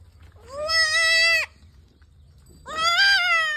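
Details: Totapuri goat, a nanny with two kids, on a farm in Shankarganj, Jaunpur, Uttar Pradesh, giving two loud, drawn-out, wavering bleats, each about a second long, separated by a short pause.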